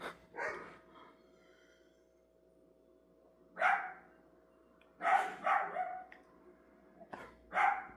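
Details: Indoor dog barking: a single bark, a long gap, then several quick barks in a row, over a constant low hum.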